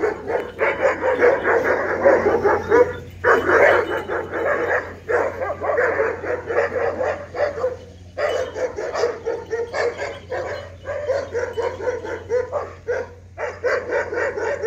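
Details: A dog barks at an ox in a bull-and-dog confrontation, a dense run of rapid overlapping barks with few breaks, over a constant low background hum.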